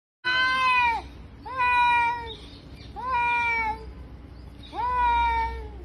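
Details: Cat meowing: four drawn-out, nasal meows spaced about one to one and a half seconds apart, each starting with a sharp rise and then sliding slowly downward, over a low steady background hum.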